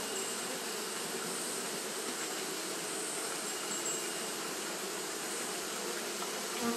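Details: Japanese honey bees fanning continuously on a hot day: a dense, unbroken droning hum from many bees, holding steady in loudness for the whole stretch, with a rich low band and a faint hiss above.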